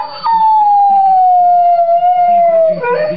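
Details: A pet dog makes vocal 'talking' sounds in one sustained, clear howl that glides slowly downward. It ends with a short, wavering upturn. Soft, low background voices are also heard.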